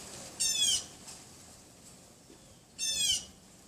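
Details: Two brief, piercing yaps about two seconds apart from a neighbour's Pomeranian, hidden behind a wooden privacy fence beside a bedroom window; windy afternoon of 6 February 2015, about 3:18 PM, with a quiet background between barks.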